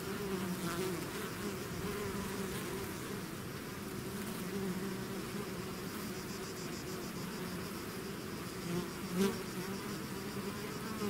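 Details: Bees swarming out of a hive make a thick, constant buzz, low tones holding steady, with a single nearby bee flaring louder toward the end.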